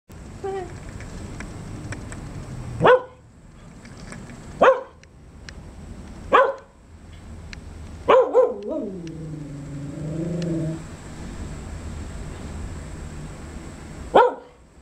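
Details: A dog barking: single sharp barks spaced about two seconds apart, one quick double bark, then a drawn-out wavering whine-howl lasting around two seconds before a final bark, over a quiet background hiss.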